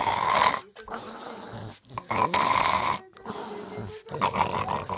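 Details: Playful Boston Terrier growling in rough, grumbling bursts separated by brief silences, roughly three or four bouts over a few seconds.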